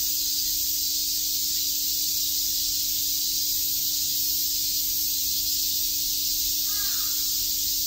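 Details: Cicadas chirp through a summer day in Tokyo's Shakujii Park, a constant shrill buzzing wall of sound, with a crow cawing briefly near the end.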